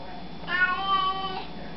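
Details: A house cat 'saying hello' with a single clear meow of about one second, steady and tonal with a slight rise and fall, over a low background hum indoors.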